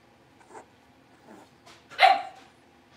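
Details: Blenheim Cavalier King Charles Spaniel puppies from a litter of five, born at New Year's, in their indoor pen after moving to a bigger one: soft snuffles and faint yips build to one sharp, bright bark near the end.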